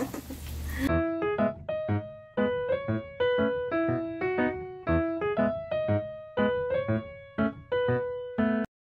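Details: Electric piano music plays a repeated melodic phrase of bright notes after a brief burst of noise at the start, with no animal voice.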